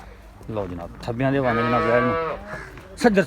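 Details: Cattle at a Pakistani farm selling Girolando and Jersey cows: a steady, low, sustained moo of about one second, preceded by brief speech and followed by a man talking.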